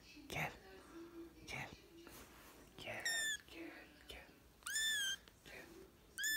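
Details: British and Scottish kittens: three high, piercing mews with clear overtones, the middle one longest and falling, mixed with close human speech and whispering throughout.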